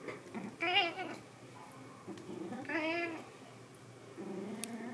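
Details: Pet cat indoors in an air-conditioned summer house: two clear, bending meows roughly two seconds apart, each swelling and then sliding down, with low room hum and faint rustles between.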